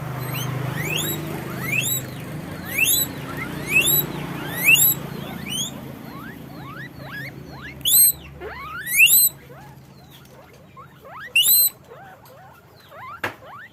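Guinea pigs give a run of high, rising squeaks, several voices overlapping.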